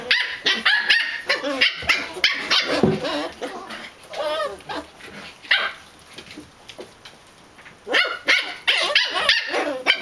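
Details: Pembroke Welsh Corgi puppies chattering after a meal at a breeder's home: bursts of high yips, squeaky whines and short barks, several overlapping, rapid and irregular, with a quiet pause midway before the yapping resumes.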